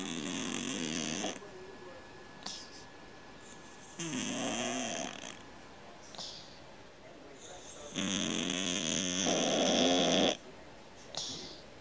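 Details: Sleeping cat snoring like a man: harsh, vibrating snores of one to two seconds with a hissy edge, three of them spaced a few seconds apart, the last one loudest and longest, with faint breaths in the gaps.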